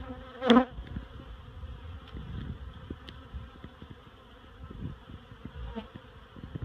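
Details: Swarm of honeybees moved out of a barrel to a new hive at Miss Bee Haven, giving a smooth, even droning hum in stacked tones; one loud clack early on, then faint taps.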